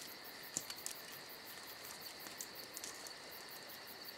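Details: On a summer night, crickets produce a bright, sustained trill with quick rhythmic pulses on top, joined by soft crackling and popping from a campfire.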